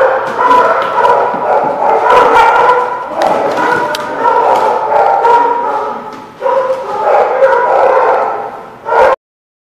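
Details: A group of dogs recorded 21 July 2017 at The Barking Lot keep up a continuous clamour of overlapping barks and yips, loud and ragged, easing briefly before a final burst and then abrupt silence.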